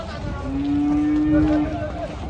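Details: Cattle, a large animal said to weigh nearly one ton, giving one long sustained level moo lasting about a second, with background music and a steady high whine.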